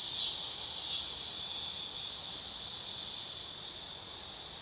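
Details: Dog-day cicada (Neotibicen canicularis) giving a shrill, sizzling buzz, loudest in the first two seconds, then easing to a slightly softer, steady hiss-like drone.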